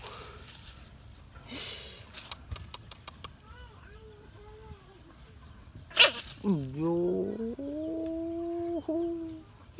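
An American bullfrog screams, a long wailing cry that rises sharply and then holds steady for several seconds.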